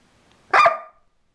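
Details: A Border Collie, barking and snarling at the person filming, gives one loud, abrupt bark with a rough, snarling edge, under half a second long and fading with a short tail.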